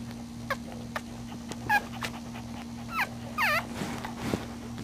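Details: One-week-old puppies sleeping and nursing give a series of short high whimpers and squeaks, several with rising and falling harmonics, spread over a few seconds against a steady low hum and soft rustling.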